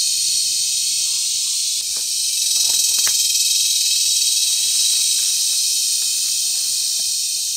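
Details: A cicada mating chorus fills the air in cicada season at Brgy. Balabag, La Carlota City, Negros Occidental, recorded July 18, 2020. The piercing, shimmering buzz runs on without pause, with brief faint ticks and knocks in the background.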